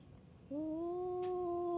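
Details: Stray cats fighting at a tavern on a Japanese cat island; one cat lets out a sustained, steady, tonal yowl that begins abruptly after half a second and holds level to the end.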